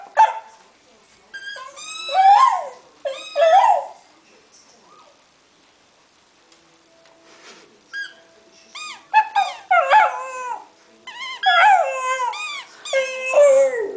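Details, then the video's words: Staffordshire Bull Terrier pup of five months vocalising during play with a squeak toy: choppy bursts of whiny yips and wavering howls, a quiet pause midway, then a denser run of rising and falling cries. "My Staffy Tyson Singing"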